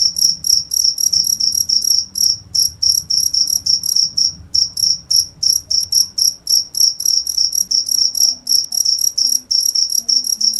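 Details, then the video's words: Shrill pulsed chirps from a cricket, rapid and continuous at about three and a half per second, with short pauses between groups and faint low murmur underneath. "cricket sound"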